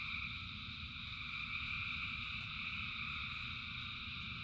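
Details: Frogs calling en masse during rain: a continuous wall of high, overlapping trills with steady low rain rumble underneath.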